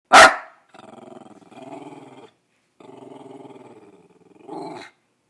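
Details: Daisy Doodle, a female half dachshund half poodle, barking at nothing outside: one sharp loud bark opens, followed by long low rumbling growls in several drawn-out bursts, ending with a short whiny grumble.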